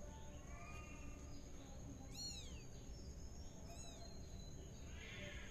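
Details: Tabby kitten Mira, spinning in a pot, gives two short, high, thin meows that arch up and fall away, about a second and a half apart. A steady background hiss and a faint constant high tone run underneath.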